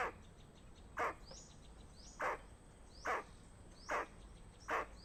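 A squirrel gives harsh, throaty alarm barks, repeated a little under once a second, warning of danger.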